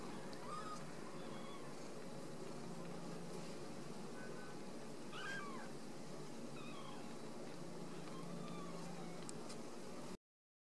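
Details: Several faint mews from home-raised Ragdoll kittens at a central Kansas cattery, each short and curving, scattered across the recording, the clearest near the middle, with constant low background hum underneath.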